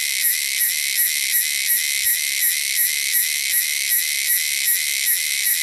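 Cicadas make a loud, steady, hissing buzz, pulsing about every third of a second.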